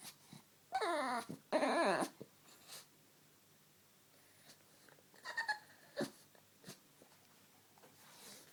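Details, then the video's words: An excited male pet dog indoors yowls twice in quick succession, each a short, sliding, harmonic squeal-moan, then softer snorts and breathy sniffs follow. "Ugly dog makes the WEIRDEST noises!!!"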